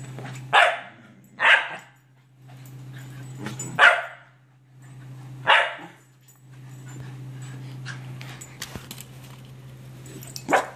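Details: Scottish Terriers going after a toy, giving sharp single barks spaced one to two seconds apart, five in all, over a steady low hum and light indoor rustling.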